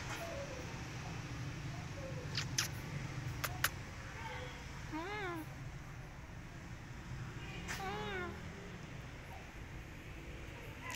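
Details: Stray cat asking for food gives two wavering, drawn-out meows, one near the middle and one toward the end, against a steady low rumble with a few sharp clicks and knocks early on.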